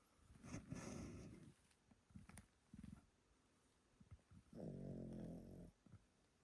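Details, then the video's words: Sleeping grandpa Pomeranian named Yotaro snores heavily: a long, rough, rattling breath, a few short grunting pulses, then another deep, buzzy snore of about a second in a quiet room. "Pomeranian that snores loudly～おじいちゃんポメラニアン与太郎のぐぅぐぅ動画～"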